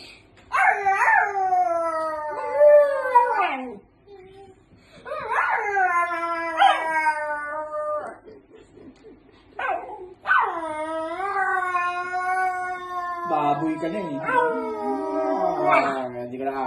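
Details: Pet dog answering its owner with repeated long, modulated howls and rising yowls, several phrases separated by short pauses, with lower growly whining toward the end.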